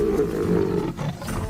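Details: Lion roaring amid a rivalry between two lion prides; a deep, rumbling, sustained roar lasting just over a second, with narration-style ambience underneath.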